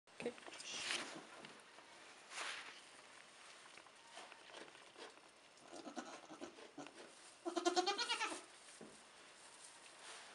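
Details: A Nigerian Dwarf goat gives a wavering, quavering bleat among softer bleats and rustling, from a doe and her triplet kids (two doelings, one buckling) only a few hours old, 2015.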